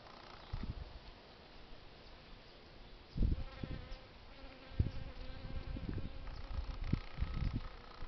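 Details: Foraging honey bees give a droning buzz that swells midway and holds a steady pitch for a few seconds, broken by low thumps of wind or handling.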